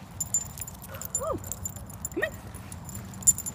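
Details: Obi, an 18-week-old blue merle Cardigan Welsh Corgi puppy, grows impatient during leash training and gives two short, thin whines that slide downward, quiet against a soft background hiss, with praise from his handler just before and after.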